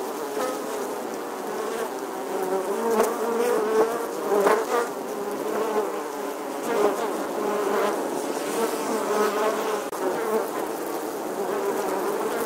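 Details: A colony of honey bees busy at their nest in the old stone wall of an English church, August 2020, giving a continuous layered drone, louder passes of single fliers rising and fading around four and five seconds.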